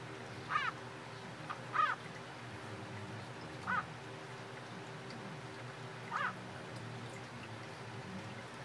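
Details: Pet tree frogs, possibly mating, call while riding piggyback; short buzzy croaks near 1-2k in the frequency range, rising and falling, spaced irregularly about one to two seconds apart over a steady low hum.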